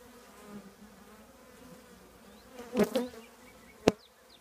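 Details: Steady drone of a honey bee colony nesting in an old trash can, an even low hum carrying on beneath two or three brief sharp knocks near the end.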